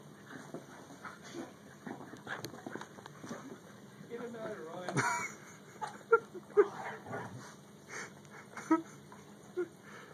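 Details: Dog vocalizing with a Great Dane and a yellow Labrador together: short, high whimpers and yips at irregular intervals, clustered in the middle and near the end, with human speech running throughout.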